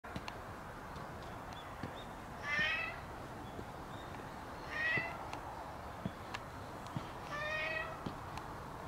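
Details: Stray black cat at a shrine, rubbing against a visitor, gives three drawn-out meows spaced about two and a half seconds apart, with faint clicks and light handling noise between them.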